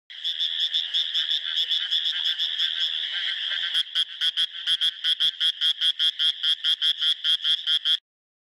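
A frog gives a high, rapid trill that breaks into a fast series of sharp, pulsed notes.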